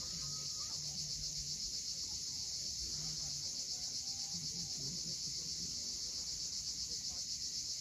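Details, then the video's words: Crimean cicadas calling at sunset above the sea at Cape Fiolent, a bright, even, high buzzing wash that pulses rapidly without pause, with faint low tonal murmurs drifting beneath. "Cicadas at sunset."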